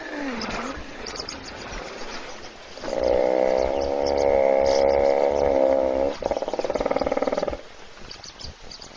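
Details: Hippopotamus snoring while asleep in a puddle at a South African waterhole webcam, other animals waiting to drink; a long, loud, buzzy harmonic drone lasting about three seconds, then a rapid pulsed rattle, over a soft outdoor background.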